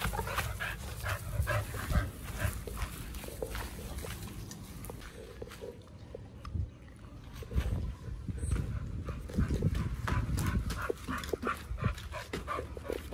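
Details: Pit bulls Oliang and Nomyen on a raw diet eating raw quails and giant sea bass skin; dense crunching and wet chewing with sharp bone-cracking clicks throughout, over a low rumble.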